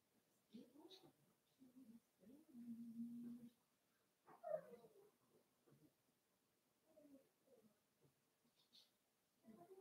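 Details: Five-week-old Cavalier King Charles Spaniel puppies in Daisy's indoor puppy pen give soft, scattered whimpers and grunts, with one longer steady whine midway and a brighter rising squeal after it. Quiet room, no other clear sounds.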